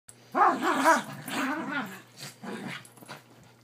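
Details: Havanese play wrestling on a bed, vocal during play: a quick run of short, rough growly yips and grumbles over about two seconds, then fainter growls, with a person briefly speaking.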